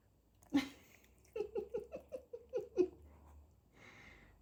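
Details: Nala, a pet Maine Coon cat from Sweden, indoors: one sharp, noisy burst, then seven short, pitched chirps in quick succession about a quarter second apart, ending with a faint breathy hiss.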